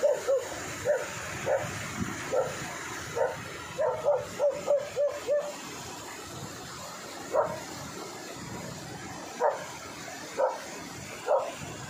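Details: A Belgian Malinois barking while hunting buffalo, with a handler urging it on and praising it for swimming: short yelping barks at about one per second, some in quick bursts, over a steady background hiss.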